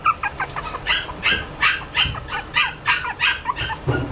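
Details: Toy Poodle giving a fast series of short, sharp yips mixed with thin whines, roughly three per second and unevenly spaced, in a small indoor room.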